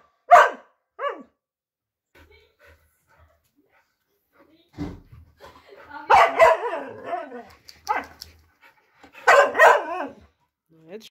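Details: Lapponian Herder with a so-called tender voice: loud, sharp barks in short bursts, some doubled, separated by quiet pauses, with a cluster of rapid barks in the middle and softer sounds between.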